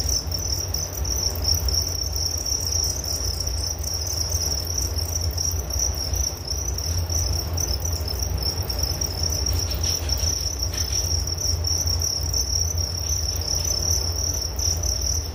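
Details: Crickets in a nature soundscape for relaxation and sleep: an unbroken, shrill high trill holds steady throughout, with a few faint soft ticks near the end over a constant low rumble.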